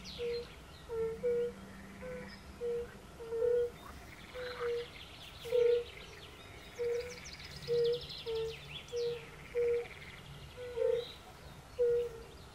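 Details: Forest pond concert of European fire-bellied toads: a dozen or more low, pure 'oop' calls spaced roughly every half to one second from multiple toads, with light birdsong higher up.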